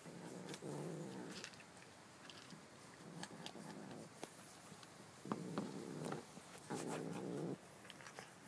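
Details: Stanley, a pet cat, growling: low rumbling bouts about a second long, four of them, with clicks and handling noise between.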